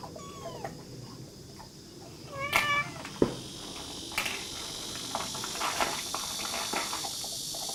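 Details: Kitten with its mother cat at a countryside house in Dorae Village, South Korea, where the mother had given birth: faint short meows early on, then a clearer harmonic meow midway, over a steady high insect buzz with soft knocks and handling noise.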